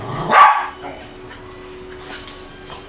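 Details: Lady, a nine-year-old Eskimo husky and poodle mix, barks during play with her owner: a single loud, rough bark near the start, followed by quieter shuffling and faint sounds.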